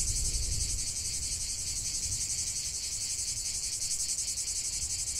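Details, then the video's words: Dense cicada song outdoors, a loud sizzling high-pitched buzz pulsing quickly and steadily, over a faint low rumble at the start. "45 min de chant des cigales"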